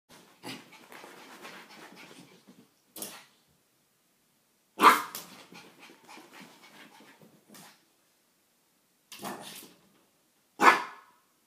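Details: Chewy, a female pet dog, plays with her own reflection indoors for about fifteen minutes; short sharp barks burst out at intervals, the loudest near the middle and end, with low grumbling growls and whines between them in a small room.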